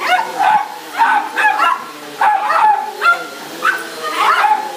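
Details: Pet dog barking excitedly at home as the carpet is being cleaned: a quick series of sharp, bright barks, roughly seven or eight in under five seconds, uneven in spacing, some rising into short yelps.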